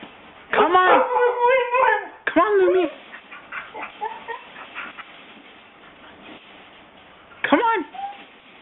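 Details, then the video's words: Siberian Husky kept as a house pet, being coaxed toward its crate: long, loud warbling whine-howls with rich harmonics, pitch sliding up and down, several bursts over eight seconds, plus fainter whimpers and a man's voice. "Reasons NOT to get a dog Episode 1: Huskies"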